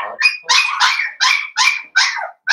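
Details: Blenheim Cavalier King Charles Spaniel puppies, one of a litter of five born on New Year's, in an indoor puppy pen. High, sharp yips come in quick bursts, about six in under three seconds.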